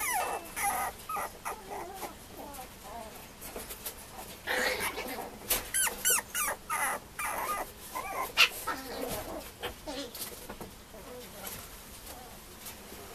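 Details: Two female Mame Shiba puppies at a breeder's, with thin whimpers amid a busy jumble of clicks, scuffling and handling noises, plus some human voice; the sound comes in short, irregular bursts.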